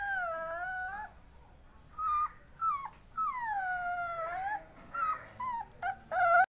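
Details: A Rottweiler puppy from a KCI-registered champion line in Kerala gives long, tonal whines and half-howls that bend downward and waver. They come in short bursts between quiet pauses, with no sharp barks.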